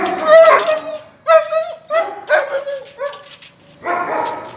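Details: German Shepherd puppies, male and female, giving five drawn-out tonal whines, each lasting about half a second to a second, with clear overtones and short pauses between them.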